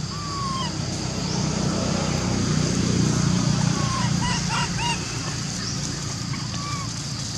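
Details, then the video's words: Monkey Lori, unable to use her legs, calls Amari for help climbing a tree among other little baby monkeys. A few short arched, tonal cries with harmonics come in a loose run midway, over a steady low rumble and background noise. "Lori Could Not Use Her Legs, Calling Amari To Help Her Up To Tree"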